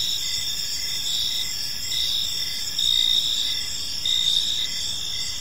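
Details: Park crickets in the evening giving rhythmic, high-pitched chirps in pulsed bursts roughly every second, backed by a constant shrill trilling from others nearby.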